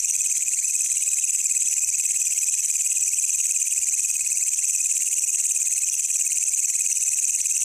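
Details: Wild walang kecek, a katydid, met at night while out searching, recorded as a tutor sound for songbirds; an unbroken shrill buzz, very high and even in loudness, with a faint lower band beneath and nothing else audible.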